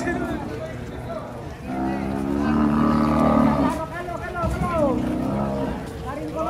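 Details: An agitated cow being unloaded from a truck gives a long, low, steady moo lasting under two seconds, surrounded by men's shouting voices and engine noise.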